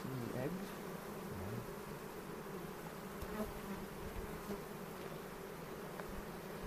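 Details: Honey bees in a hive during a spring inspection on April 27, 2018, at a bee yard in the foothills near Cochrane, recorded on a 360 camera. A steady, low droning hum fills the whole clip, with faint voices near the start.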